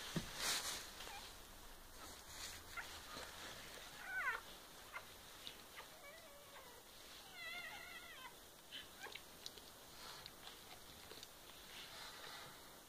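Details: Newborn kittens of a litter on their day of birth, 13 May 2015; a few faint, thin, wavering high mews, some in quick trembling runs, over a steady background hiss.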